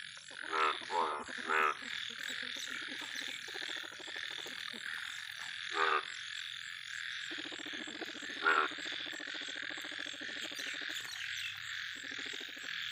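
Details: Yellow large frog calling in bursts of pulsed, rattling croaks around one, six and eight and a half seconds, over a steady high insect-like hiss and a thin constant whine.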